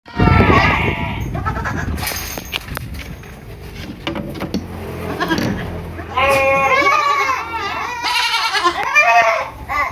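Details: Baby goats on a farm in Purwokerto, Indonesia, giving wavering, quavering bleats in short bursts, mixed with human voices and handling noise.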